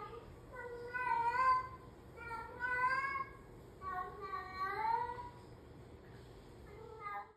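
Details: Petunia, a female domestic cat that talks and sings around the house to her owners, gives a series of long, drawn-out meows that swoop up and down like singing.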